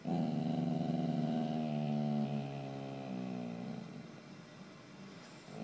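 A Bull Terrier gives a long, wavering, grumbling whine to wake its owner in the morning.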